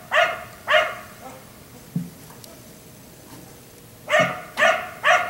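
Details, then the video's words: A black Labrador left out in the yard until 1am barks twice, goes quiet for about three seconds with only faint low thuds, then resumes with three quick barks. "Dog barking until 1am"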